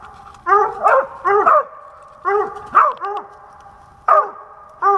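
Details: Squirrel-hunting dog in Pennsylvania, 2021, giving bursts of two or three barks separated by short pauses, each bark sharp and harmonic-rich, with little else audible.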